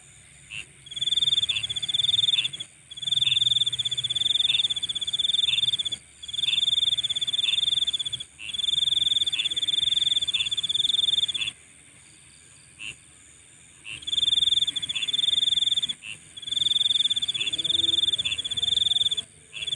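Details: Insects calling at night: a loud, high, pulsing trill in bouts of two to three seconds with short gaps, over a steady shrill background chorus and soft regular chirps.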